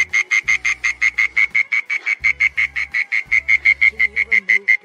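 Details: In a garden at dusk, a burrowing mole cricket sings a loud, steady series of evenly spaced buzzy pulses, several each second, on one unchanging high pitch, with a faint low hum underneath in stretches.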